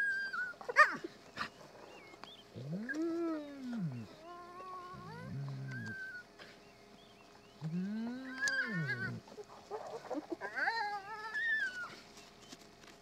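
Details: A spotted hyena family at a den in Kruger National Park, South Africa, trades drawn-out arching moans, gruff grunts and thin squeals. This is the commotion as the rest of the family returns to a mother feeding with her cubs.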